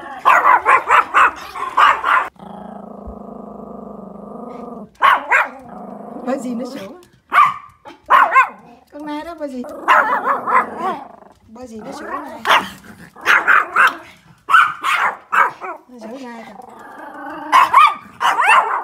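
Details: A Pomeranian watching deer out the window barks in sharp, high bursts, with stretches of low growling and a person speaking; one of three Pomeranians in the household.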